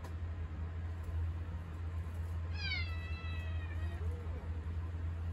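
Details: House cat seeking attention while someone stands in the kitchen: a single falling meow midway, over a steady low hum.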